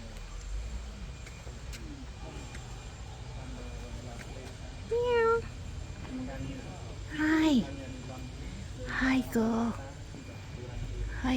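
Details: Cat named Mia found at Bayon Temple in Cambodia, being greeted; three short rising-then-falling meows stand out midway among the steady chatter of a woman's sweet talk and distant outdoor hum.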